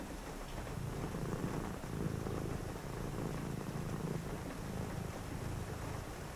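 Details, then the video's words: Domestic cat purring indoors on a rainy night: a low, steady rumbling purr that swells and eases in breathing-paced waves, set against constant hiss of rain. "a purring cat"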